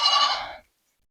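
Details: A Mini Nubian goat on a north Texas farm gives one loud, rough, nasal bleat lasting just over half a second, fading at the end, during a doe's difficult kidding.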